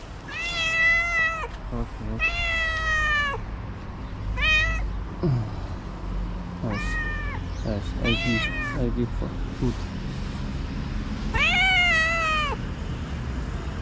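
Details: Stray cat wanting food at dawn in Morocco, meowing insistently: a run of loud, drawn-out and clipped meows, some rising then falling, coming every second or two, as a person speaks softly nearby.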